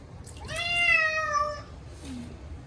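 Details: Munchkin cat named Chacha, short-legged, yowling loudly during its first bath in a year on a hot day. One long drawn-out harmonic-rich meow, level then slightly falling, followed by a faint low murmur.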